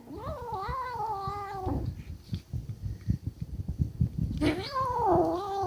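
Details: A kitten turns defensive over food, giving a wavering, moaning growl that sags in pitch, then a stretch of low knocks and scuffles, then a sharper rising yowl that warbles at the end.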